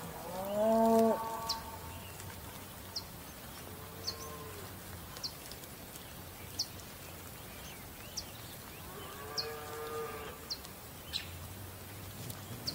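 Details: Bellowing domestic bull: one loud, deep, harmonic moo lasting about a second, followed by softer, higher drawn-out calls later on, with scattered clicks and knocks in the background.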